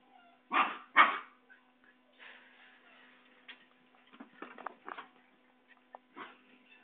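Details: Basenji puppies running and play-fighting at a kennel in Saraburi, Thailand, on 6 February 2011 give two loud, sharp yips near the start. Quieter irregular yelps and scuffling follow over a low hum.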